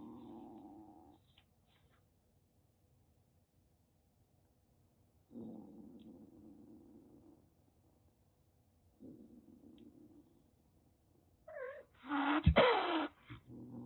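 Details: Threatening calico kitten, about a month and a half old, rescued in Kagoshima, Japan, before a typhoon: three low drawn-out growls separated by silences, then a sudden loud spitting hiss near the end.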